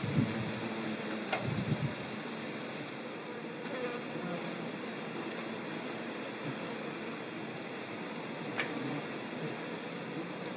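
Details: In the Nouvelle-Aquitaine countryside of central France, 17 September 2018, ivy bees (Colletes hederae) that store pollen and nectar in ground burrows for their larvae. A low buzzing passes in the first two seconds, then a fainter drone under constant hiss.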